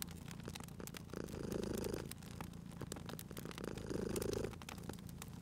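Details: Domestic cat asleep beside a crackling fire, purring: two soft rumbling swells about two and a half seconds apart, set against scattered crackles and pops from the burning wood.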